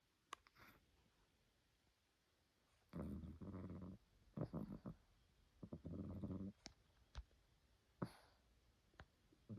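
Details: Sleeping domestic cat snoring like a person: low, rumbling snore bursts of about a second each, around three and six seconds, with quieter snuffles and clicks between them, indoors.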